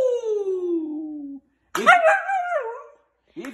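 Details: Siberian Husky vocalizing indoors: a long smoothly falling tone, a short silence, then a wavering, bending howl-like phrase, answering a person singing nearby.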